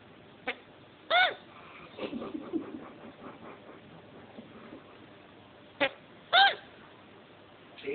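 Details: A male chinchilla that has just mated gives short, squeaky hiccup-like bursts a few seconds apart, with quiet speech between them.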